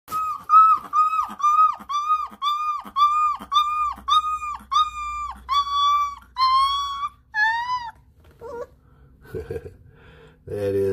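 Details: A 22-day-old blue Lycan Shepherd puppy howls when prompted, in high, thin cries that rise and fall, repeated about twice a second.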